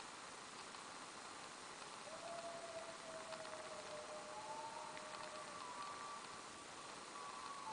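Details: Coyotes (Canis latrans) howl at twilight in long, drawn-out tones, one voice sliding lower before higher howls join in.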